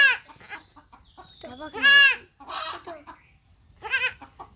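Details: Young goat kid undergoing castration, giving loud, strained, harmonic bleats, one long cry near the middle and another toward the end, with people talking nearby between the cries.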